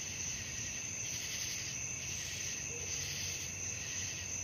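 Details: Nighttime crickets in a thick shrill chorus, a sustained high ringing tone plus a pulsing chirp layer beating about once a second, with a faint short whistle midway.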